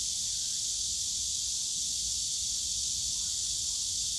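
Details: Continuous shrill buzzing of cicadas in the bamboo forest of Yongsan Family Park during summer, a steady hiss-like drone that neither rises nor fades, with faint low rumble underneath.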